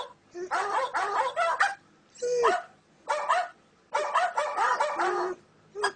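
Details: Dog reacting to various sounds, giving rapid clusters of sharp, harmonic barks in three bursts about a second apart, with one lower, drawn-out yelp between them.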